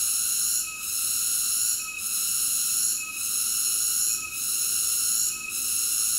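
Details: Cicada. A cicada sings a continuous high, rasping buzz rich in harmonics. The steady drone softens briefly at regular intervals, giving a slow throbbing rhythm.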